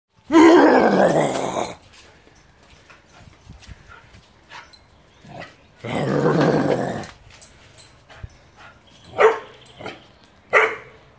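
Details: Four-month-old Bullmastiff x Bull Arab pup during play, giving two loud, rough, harmonic growling bursts of about one and a half and one second, followed by a few short, sharper yips near the end with quiet gaps between.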